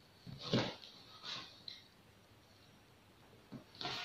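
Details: Honey, a Pomeranian puppy in a pet sitter's care, gives a few short, sharp barks, one loud yap near the start, a softer one a second later, then another after a quiet pause, in a small, still room.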